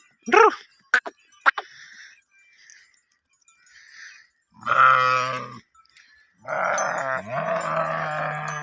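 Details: Herd of sheep during mating: a few quick sharp cries at the start, then a harsh buzzy bleat, followed by overlapping long bleats from more than one animal, one dropping in pitch near the end.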